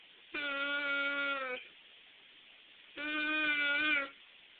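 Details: A Weimaraner "talking", barking and moaning, gives two drawn-out, steady moaning howls, each about a second long.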